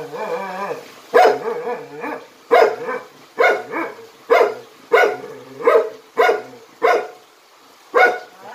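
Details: Jindo dog Jinmyeong of a Jindo dog performance troupe, barking in a steady series of sharp, mid-pitched woofs roughly every half second to second, with short whining tones between barks.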